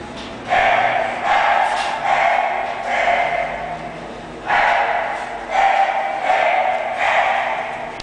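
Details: Shun, an English Bulldog, barking in a series of six drawn-out, bright, harmonic calls, each about half a second long, with brief gaps and a longer pause midway.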